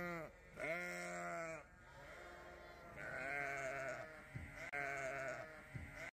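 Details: Young Dorset ewe lamb on a farm, awake after a heavy nap and hungry, heading to her mother; a few drawn-out wavering bleats, one long and rich, then lower shorter calls and faint rustling.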